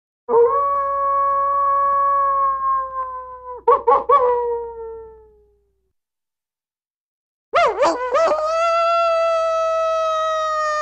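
A wolf gives long, steady, tonal howls, each broken by brief wavering yips.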